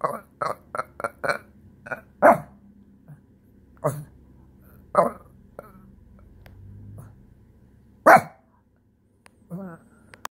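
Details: A Shih Tzu, frustrated after his couch space was taken, throws a tantrum with short, whiny yaps, a quick run of four and then scattered outbursts.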